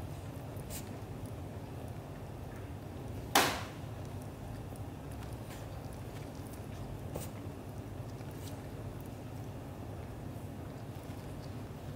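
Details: A constant low indoor hum is broken by one loud thump a little after three seconds and a few faint taps later on; no animal call is heard.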